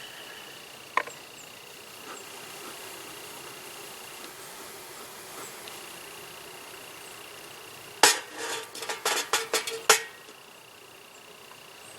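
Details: A thin steady tone with a sharp knock early on, then a rapid burst of metallic and glassy clinks and taps near the end. No animal sound is heard.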